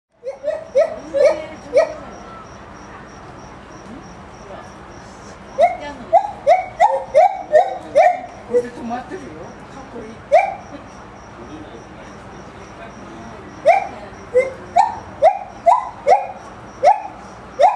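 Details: Gibbon at Maruyama Zoo, recorded 4 September 2010, singing while brachiating through branches, its call carrying widely across the zoo; series of short rising whooping notes in rapid bursts, pausing between phrases, with a steady faint high tone behind.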